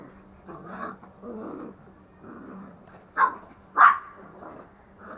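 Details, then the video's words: Two young toy Pomeranians, a male and a female, at home in Kathmandu, Nepal, running, playing and play-fighting. Two sharp, high yipping barks stand out in close succession, among softer scuffling. A person calls out in between. "Pomeranian running and fighting | Pomeranians playing"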